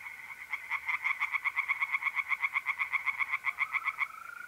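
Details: Tree frogs calling loudly at night from a pond in north-east Italy in mid-April, a steady run of quick pulsed croaks about four per second, ending as the continuous high trill of mole crickets takes over.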